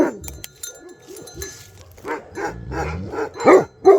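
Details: Bhote Kukur dogs in Nepal, alert to a possible leopard or wild boar: faint scattered sounds at first, then a series of louder barks building toward the end.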